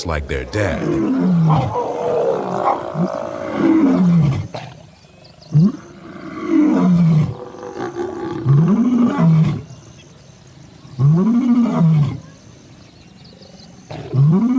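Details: Lion from a documentary on Cecil's pride legacy, giving a series of deep, low grunting roars, each arching moan lasting about a second and repeated roughly every two to three seconds, with short quiet gaps between.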